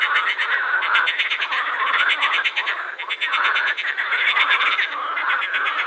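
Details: A dense chorus of edible frogs at the Krebsenwasser pond in Vienna's Prater, with rapid rattling croaks overlapping in a steady, pulsing wall of sound.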